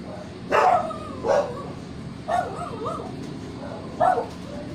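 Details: Siamese cats give loud, drawn-out meows with a harsh, yelling edge, repeated several times.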